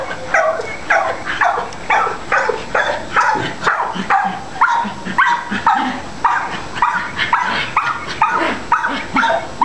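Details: Adoptable long-coated Chihuahua yapping steadily: nearly twenty quick, high barks in under ten seconds, uneven in spacing, each a short clipped burst.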